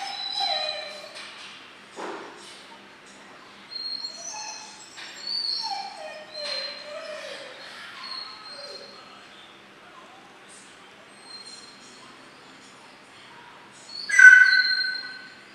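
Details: Two 12-week-old German Shorthaired Pointer puppies in a training program for pointing, backing point and retrieving; thin high whimpers and sliding whines come in scattered bursts, then a sharp loud yelp near the end.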